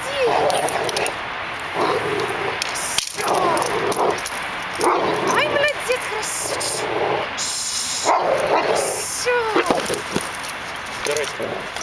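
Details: Cane Corso, 17 months old, in its fourth bite-training lesson with a temperament test and a new decoy: loud barks in short bursts every second or two, with harsh noisy hiss throughout.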